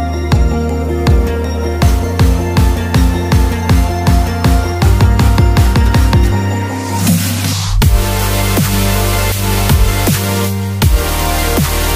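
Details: Loud electronic dance music with heavy bass and pounding regular drum hits runs throughout, and no animal voice is heard.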